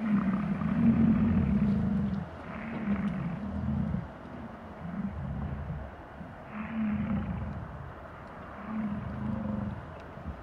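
Bison giving deep, rumbling grunts and bellows, low and drawn out, several in a row about two seconds apart, with a steady background hum.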